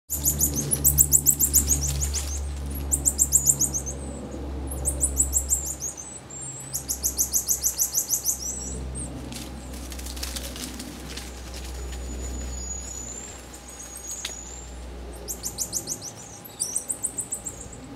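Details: Marmosets in social interaction: bursts of rapid, high-pitched chattering trills repeated in short clusters, with thin whistled tones near the middle, over a steady low hum.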